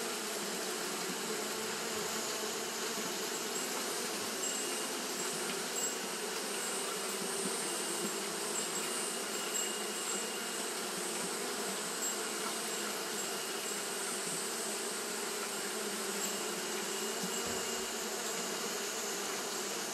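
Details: Japanese honey bees fanning continuously on a hot day, a dense steady droning hum that never breaks, rich in overtones and holding the same level throughout.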